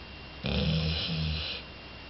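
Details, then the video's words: One loud, throaty snore lasting just over a second from Jolly, a sleeping two-year-old female Labrador Retriever, with a low vibrating rattle and a slight dip in the middle, over faint indoor hiss. "ラブラドール ジョリ 大いびき"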